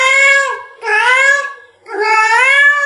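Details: Pet domestic cat meowing after being asked to call over a female cat: three loud, bright meows with short gaps, the last one rising toward its end.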